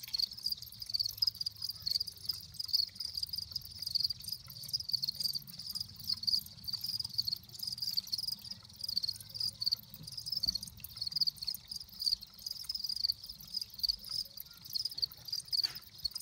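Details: Continuous cricket chirping: dense high-pitched pulsed trills running without pause throughout, with faint low background rumble and occasional soft knocks.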